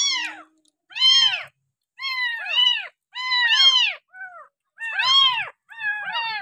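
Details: Abandoned village kitten rescued near a house and raised on a milk bottle gives insistent, rising-then-falling meows, some doubled in quick pairs, with short pauses between bursts and faint low background sounds.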